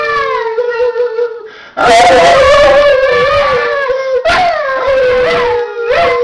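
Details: Loud indoor howling by a dog joined by a person, long steady drawn-out tones with rich overtones, a brief pause near two seconds, then a renewed, swelling howl with wavering pitch.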